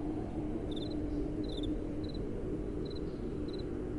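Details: Night-time crickets with gentle wind blowing: brief high chirps come in small clusters about every half to three-quarter second, fairly faint over a steady, dense low wind hiss.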